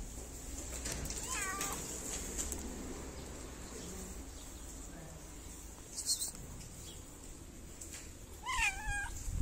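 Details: Stray cat in a city in Morocco, petted around feeding time, meows twice, each call bending up and down in pitch, about seven seconds apart, with quiet handling noise and a steady high hiss between.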